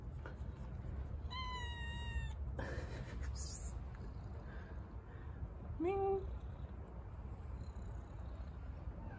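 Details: Stray kitten given water, settling into its new home: one long level meow, then after a pause of clattering noise a shorter rising meow, against a low rumbling street background.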